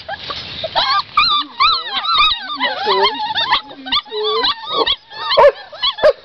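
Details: Pit Bull / Boxer mix puppies crowding together with high rising-and-falling whimpers and sharp yips, while a man's voice breaks in between the cries.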